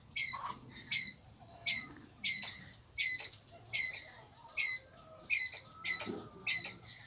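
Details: Calling the group, a Pallas's squirrel repeats coarse, buzzy squawking notes roughly every 0.7 seconds, each dropping slightly in pitch. Faint rustles and a low background hum sit beneath.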